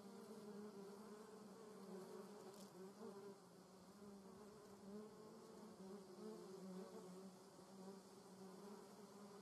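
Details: Continuous low hum of German yellowjackets (Vespula germanica) at the nest, overlapping wingbeats blending into an even drone with a brief faint click near the start.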